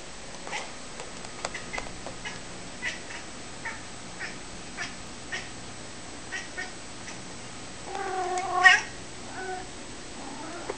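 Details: Talkative pet cat giving one drawn-out harmonic meow near the end, after scattered soft clicks and taps over a steady low hum.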